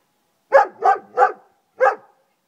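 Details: A German Shepherd called Friska, barking across a garden: three quick harsh barks in a row, a short pause, then one more bark.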